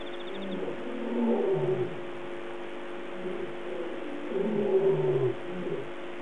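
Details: A lion gives two deep, moaning calls, each about a second long and falling at the end, somewhere near Gowrie Pan at 03:15 at night on 8 August 2008.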